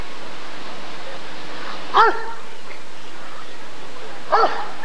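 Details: Rottweiler barking at the 1994 ADRK Körung breed survey: two short harmonic barks about two seconds apart over a steady background hum, with faint crowd murmur.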